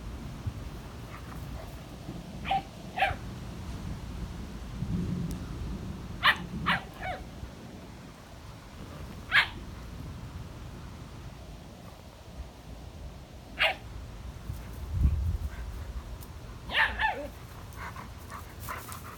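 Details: German Shepherd Thor at play with Eddy, a new German Shepherd puppy: short, sharp barks, often in quick pairs, scattered through the recording with quiet gaps, over low rumbling handling and movement noise.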